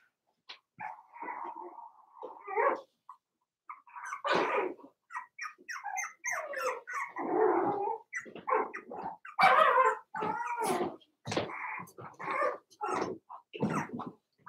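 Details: Four-week-old Cavalier King Charles Spaniel puppies from Daisy's litter in their pen give high, wavering whines and short yips. The calls come in uneven bursts, with brief pauses between them.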